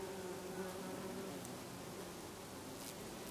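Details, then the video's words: Steady humming drone of bees feeding among lavender flowers in August in Brittany, a garden full of them; the buzz wavers slightly in pitch and holds at an even loudness. "Bees Buzzing in the Lavender in August in Brittany"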